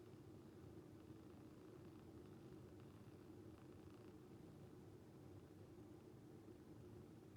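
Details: Calico cat, a rescued animal, purring while asleep, the purr sounding like snoring; a quiet, steady low rumble throughout with no other clear sounds.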